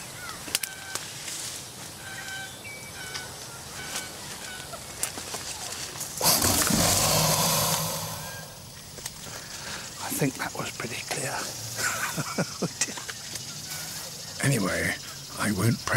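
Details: An American alligator guarding its nest gives a loud, rasping hiss of about two seconds as an unambiguous threat.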